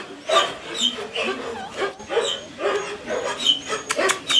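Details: Collie puppies at six weeks give rapid high-pitched squeaky yips and whines, several overlapping in quick bursts, with faint voices behind.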